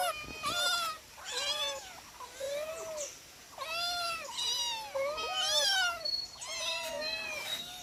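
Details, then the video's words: Four domestic cats calling while being fed, a rapid series of loud, bending meows, some rising and falling, several overlapping, about one every second with short pauses between bursts. "Funny cat cute noises when I feed them"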